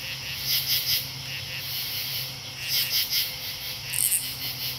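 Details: Katydids singing in an August soundscape at Marlborough, Connecticut, on 8 August 2011: dense rasping pulses high in pitch, grouped in short bursts of two or three every second or two, over a steady insect drone and a low constant hum.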